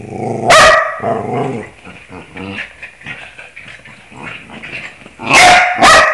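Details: Bruno, a pet dog, vocalising along with scales: a sharp loud bark, softer broken howl-like tones through the middle, then two more loud barks close together at the end.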